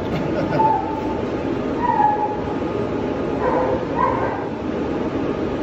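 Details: Five-month-old Belgian Malinois puppy named Quavo, prone to tantrums when a leash and collar are put on, gives thin, high whines, about four short wavering cries spaced a second or two apart, over steady background rumble and faint voices.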